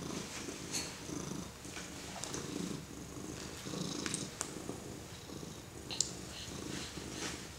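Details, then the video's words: A kitty purrs loudly and continuously while a four-month-old baby pets it inside a small room, a deep, throbbing rumble rising and falling with each breath, with light scratchy touches of the baby's hand. "Petting the Purring Kitty"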